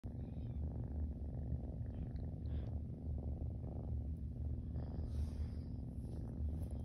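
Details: Zurvān, a Siamese kitten, lies on his back for belly rubs and purrs steadily; a dense, continuous low rumble pulses evenly throughout, with faint rustling above.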